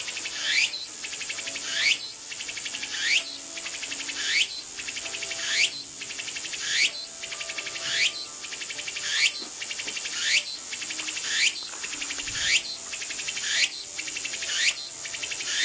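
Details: A Walker's cicada in the countryside sings loud, buzzy phrases that rise sharply and repeat about every second, locally rendered as "o-shin-tsuku o-shin-tsuku, takabeccho takabeccho".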